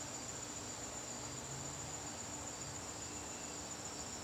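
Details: Crickets in a garden on a September evening: a steady, thin, very high-pitched trill with a finely pulsed texture that runs unbroken throughout, over a faint low hum.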